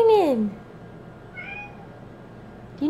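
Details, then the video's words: Indoors during a heavy downpour, female cat Bean meows at the door; one loud falling meow sliding down in pitch, then a quieter short meow, with hum in the room. "Grumpy Bean Meowing at the Rain"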